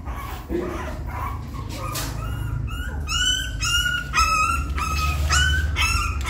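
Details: Puppy trying to climb a little step into the nest, giving high whimpering yips that start after a second and repeat about twice a second, with low room rumble underneath.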